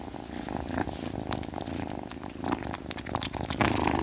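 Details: Cute cats purring in a continuous low throaty rumble of rapid regular pulses, close to the microphone, with scattered clicks and rustling over the top.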